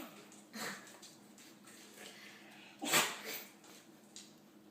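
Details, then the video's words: Dog that cannot stop sneezing indoors: a soft nasal snort near the start, then one sharp explosive sneeze around the third second, followed by quieter breathy sniffs in a small room. "Dog cant stop sneezing"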